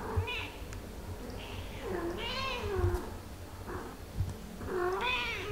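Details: British Shorthair mother Ophelia with her meowing baby kittens at play; a series of clear, arching meows with bright overtones, several per few seconds, some rising then falling, over soft room noise and thumps.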